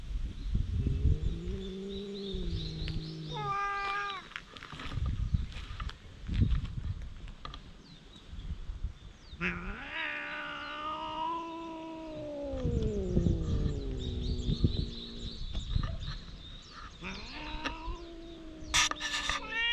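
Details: Stray cats on a cat island trade threats in a sudden quarrel, GoPro HERO8 recording: low droning yowls that waver and slowly fall, over a rough, rustling outdoor background with brief higher cries.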